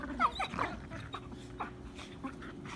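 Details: Irish Terrier in spring letting out short, high whimpering yelps with curved, sliding tones packed into the first half second, then softer scattered whines trailing off over a low background rumble.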